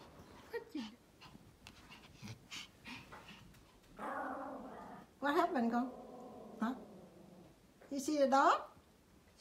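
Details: A Pomeranian gives high, whiny yips and bending barks during play with another dog while a person talks softly nearby.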